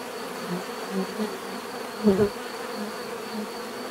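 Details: Bees buzzing, with individual insects flying close in short rising and falling hums over a softer steady drone, the loudest pass at mid-clip.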